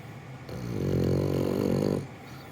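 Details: Sleeping comfortably in someone's arms, French Bulldog Gonta lets out one long, grumbling snore of about one and a half seconds, rough and buzzing, swelling then stopping abruptly.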